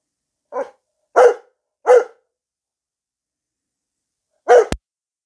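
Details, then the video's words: A Newfoundland dog barking at night and refusing to stop: four short, deep barks, three close together in the first two seconds, then a pause before a last bark ending in a sharp click. "barking at night. She will not stop."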